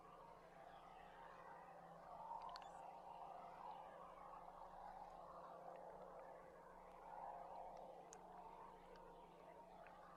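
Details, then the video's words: Beluga whales chatter almost constantly underwater in squeaky, mid-pitched whistles and clicks, picked up on 20 July by a hydrophone lowered from a tour boat among many whales, over a steady hydrophone hum. "I'm sure with all these whales around us here too, guys, you're getting some"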